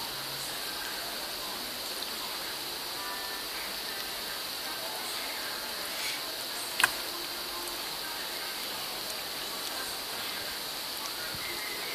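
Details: Steady hiss and broadband room noise with a brief click near the middle, no clear animal voice.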